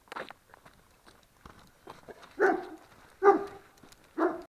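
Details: A 20-month-old Dobermann gives three deep, short barks, each a little under a second apart.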